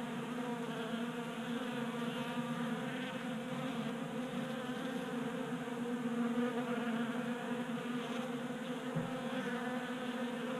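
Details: Honey bees feeding at a 3D printed tabletop feeder in a garage in Colorado during warm January weather; a continuous dense buzzing hum from many bees with steady stacked wingbeat tones and no other clear sounds.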